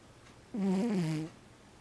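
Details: Cat snoring: one drawn-out, slightly tonal rasp of under a second, low and fairly steady in pitch with a small wobble, then quiet.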